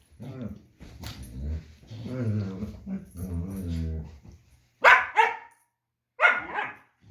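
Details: German Shepherd at play with his puppy: long, drawn-out rumbling growls with a moaning, vocal quality give way to two bursts of loud, sharp barks near the end.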